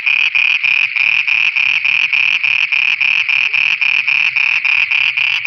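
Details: Pakistani frogs singing after dark: a continuous train of loud pulsed croaks repeating about three and a half times per second, faint low rumbles beneath.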